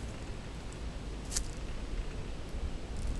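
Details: Quiet outdoor hiss and low rumble with soft rustling and one brief high crackle, and no animal voices.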